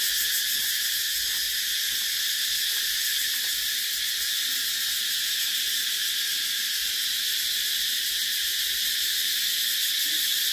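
A cicada drones in a steady, high, buzzing hiss that barely changes in pitch or loudness.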